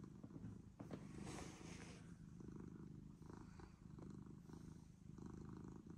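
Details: Purring cat that came to a person, giving a continuous deep, throbbing rumble with a rhythmic rise and fall and some soft rustling at the start.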